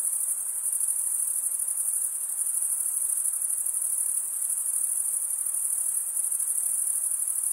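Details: Male crickets stridulating, wing rubbed against toothed wing vein, produce a steady, high, shimmering trill that runs unbroken through the whole stretch with slight pulsing, other sounds absent.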